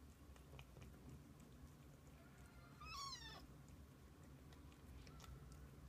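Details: Kitten or mother cat from a family of kittens spending the day with their mother; a single clear meow, rising then sliding down, sounds midway through quiet room noise and low hum.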